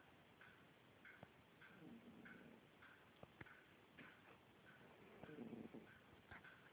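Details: A sleeping cat snoring in soft, low, buzzy breaths, one around two seconds and a stronger one near five seconds, while a clock ticks steadily throughout.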